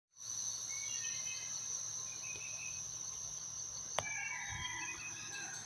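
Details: On a Los Angeles morning, cicadas keep up a steady, high-pitched drone without pause, with scattered bird chirps above it.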